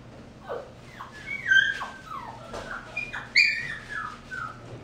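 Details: Mixed-breed dog, vaccinated, microchipped and health-checked, gives high, drawn-out whines and whimpers that slide downward, several overlapping squeals in under five seconds, with a faint low hum beneath.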